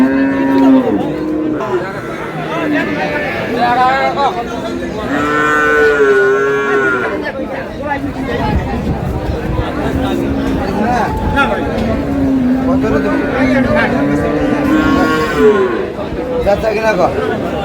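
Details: Cows with calves at Ambari haat, Dinajpur, on August 7, 2026: several drawn-out, wavering moos come in bursts a few seconds apart, some rising and falling in pitch, with busy market noise and distant chatter between them.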